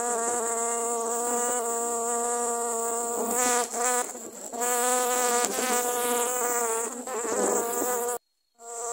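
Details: A swarm of dwarf honey bees attacking someone who was cutting grass in Thailand; a loud, steady, rich buzzing drone with wavering pitch, briefly broken just before the end.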